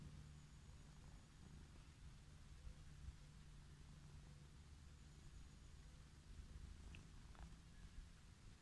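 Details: Purring of a wild orange tabby cat stretched out on grass, happy at being stroked; a low, rhythmic rumble holds steady, with a brief faint chirp near the end and light rustles.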